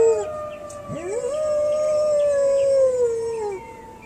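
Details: Golden Retriever howling: a brief high whine, then a voice swooping up from low into a long steady drawn-out howl that sags slightly before fading, with faint steady high tones lingering behind.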